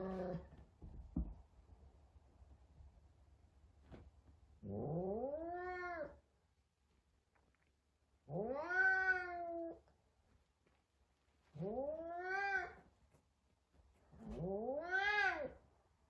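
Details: F2 Savannah cat, frightened on first meeting a little kitten indoors: four long, arching, harmonic meows, each about a second and a half, rising then falling, spaced a few seconds apart with short clicks and knocks at the start.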